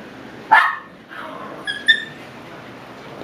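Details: One seven-week-old Shiba Inu puppy gives a single sharp yelp, followed by a fainter whine and two thin, high squeaky notes before quiet hiss.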